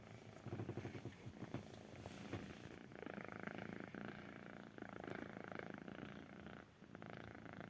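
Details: A kitten purring close up, a soft, steady, rumbling purr with a continuous low fluttering texture and some rustling in the background.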